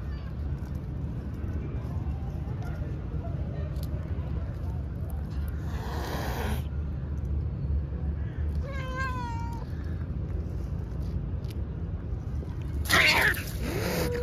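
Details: Female pet cat with one wavering, tonal meow midway, its pitch wobbling up and down for nearly a second. Two bursts of broadband rustling noise come before and after, over a constant low-frequency hum.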